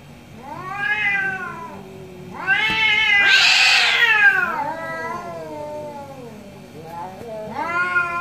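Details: Two orange cats in a morning exchange of meows: long, arching harmonic wails rising then falling, one harsh, strained cry in the middle, overlapping drawn-out calls trading back and forth.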